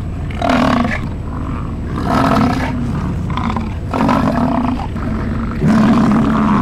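An American bison gives deep, rumbling roars, repeated roughly every two seconds.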